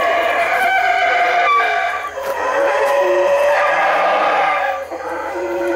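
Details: A group of howler monkeys calls at full volume: continuous, raspy, moaning roars with strong harmonics, briefly dipping around two seconds before swelling again.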